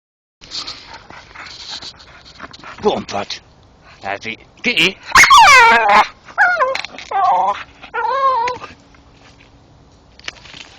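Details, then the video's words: Staffordshire bull terrier chewing a tree stump in the dark, giving high, falling, harmonic whines and yelps in bursts during the second half, with a man's voice speaking early on. "going mad chewing tree making sounds dat are funny as hell"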